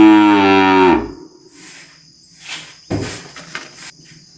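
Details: A calf bellows once, a loud rich moo about a second long that drops at its end, followed by quiet rustling and a few knocks against a constant high insect drone.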